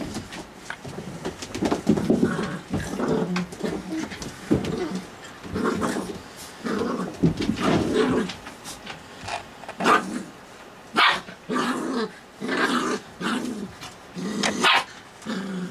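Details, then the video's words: Puppies playing at night, giving short growly yips and rough barks in quick bursts, with panting and scuffling between them in a small indoor room. "Puppy Midnight Madness"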